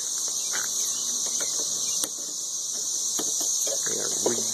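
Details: Loud thirteen-year cicadas around Nashville, Tennessee, keep up a steady high whining drone, with faint clicks and a few short crackling knocks and rustles mixed in.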